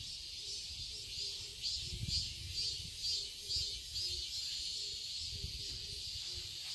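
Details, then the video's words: Summer cicadas sing in a Seoul garden, Korea. A steady, high, sizzling drone swells in beats roughly twice per second, over faint low rumbles and a quiet lower hum. "Cicadas chirping sounds"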